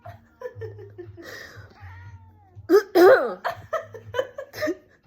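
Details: House cat meowing at night, said to dislike people coughing: a series of short, falling, nasal meows, one louder wavering cry in the middle, mixed with human voices and laughter.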